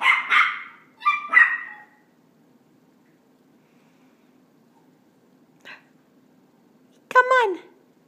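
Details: Dog named Rosie, indoors at home, trying to learn to go down the stairs. Short voiced sounds open the clip, then quiet, then a sharp harmonic whine that slides downward near the end while a person encourages her.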